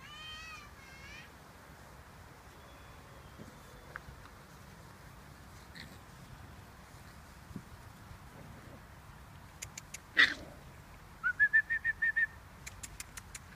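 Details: An 11-week-old pug puppy gives high, harmonic whines, then a quick run of short squeaky yelps.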